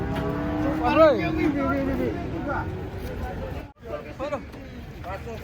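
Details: Large cattle being unloaded from a truck, described as aggressive; a long, steady low moo with a brief rising and falling inflection midway, followed by shouting voices and vehicle engine noise.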